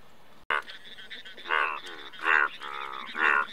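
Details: Indian bullfrog producing a few loud, drawn-out, grating croaks, the later ones longer and swelling, after an initial click, against steady low background noise.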